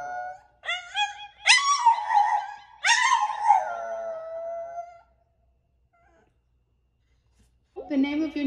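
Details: A French Bulldog female howls in long, wavering, high tones that rise and slide down again, "singing" into a microphone for the first time while a person talks to her.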